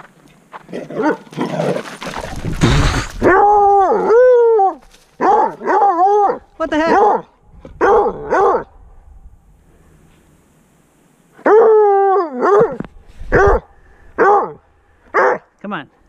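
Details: ['A Redbone Coonhound on a trail at Lake Matheson, Metchosin, on Vancouver Island in British Columbia, after running into its owner. It gives loud, arching, howled bays in bursts with short yelps between them, then a quiet pause, then more baying.']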